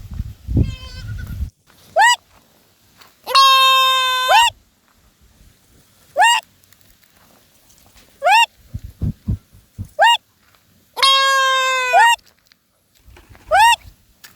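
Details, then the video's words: Goat repeatedly bleating: two long, flat, buzzy bleats of about a second each alternate with five brief, rising squeaky calls every one to two seconds, with faint low thumps and handling noise between. "Amazing sound call goat"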